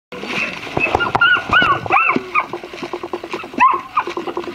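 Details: Black-and-tan German Shepherd puppies, a brother and sister litter, giving high arched whines and short yelps in quick, uneven runs, with brief repeated pulses between the longer rising-falling cries.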